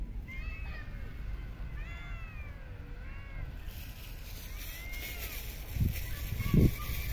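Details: Street and park cats being fed outdoors give several short, high, arching meows in the first half, then fainter calls later, over low background rumble and brief knocks.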